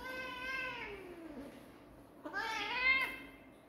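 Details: Kitten giving two clear meows: the first sustained and sliding downward in pitch, the second, after a brief gap, louder and rising before fading. Quiet room hum underneath.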